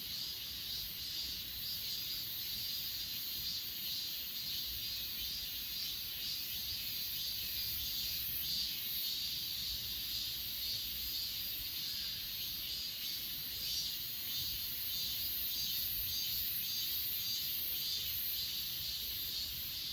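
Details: Continuous chorus of grass insects at Achasan, captured with an S20 Ultra phone: unbroken high-pitched trilling in layered bands, with soft rapid pulses repeating throughout and no other clear sounds.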